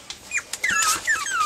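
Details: Pomeranian puppies from a litter aged five and a half weeks, recorded February 19, 2013: thin high squeaks and short falling whistles, several overlapping, against a soft indoor background.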